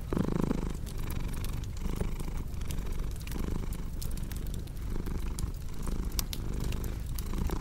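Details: Cat purring close and clear, a throaty vibrating rumble that surges with each inhale and exhale roughly every second, accompanied by scattered fireplace crackles.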